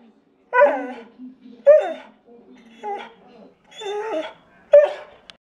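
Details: Gus, a pet dog, joins in the chorus while watching two other dogs sing, giving a run of short yelping, wavering howls with harmonic overtones in about five bursts separated by brief pauses, with softer whines between them.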